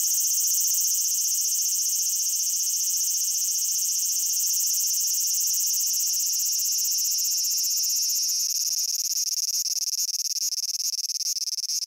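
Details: Cicada song recorded in Japan, a continuous shrill pulsing buzz with rapid regular beats that grows slightly rougher and more crackling toward the end, no other sounds.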